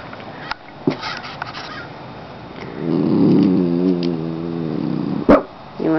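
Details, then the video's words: Molly, a pet dog at a window watching something outside, gives one drawn-out low harmonic grumble of about a second and a half, with a person talking to her before and after. "Barka Barka Barka Molly"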